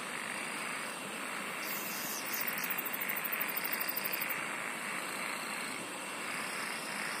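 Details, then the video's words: Singing insects fill the air with an unbroken rasping drone, while a quick run of sharp, evenly spaced high ticks rattles out for about two seconds in the middle. "SINGING OF INSECTS"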